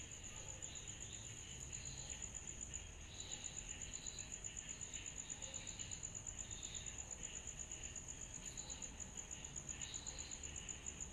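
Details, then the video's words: Cicadas calling on a summer night, a bright high chirp ticking rapidly and evenly, roughly four pulses a second, layered over a wavering mid-pitched insect hiss and soft low background noise. "Summer Night Cicadas Sound Effect"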